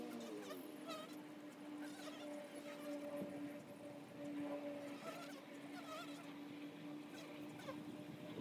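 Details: Honey bees at the entrance of a hive: a steady, low droning hum with a fainter higher overtone, continuous throughout, while scattered chirping calls from birds or fowl rise and fall above it.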